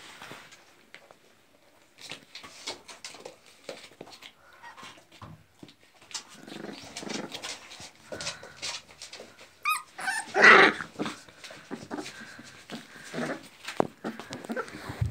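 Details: Pit bull puppies about 26 days old, American Pit Bull Terrier line bred in Chile, indoors; scattered soft whimpers and small squeaks, with one louder yelp near the middle, among handling noises and low human talk.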